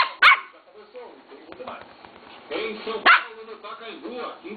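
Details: A 3-month-old male Lhasa Apso puppy gives two sharp, high barks a few seconds apart over a television voice.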